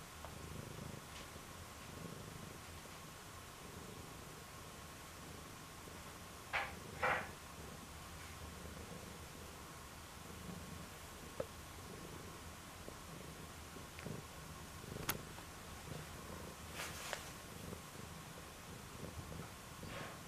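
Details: Pet cat giving a continuous low purr, soft rhythmic rumbling over a background hum, broken by a couple of brief knocks like a cupboard or door.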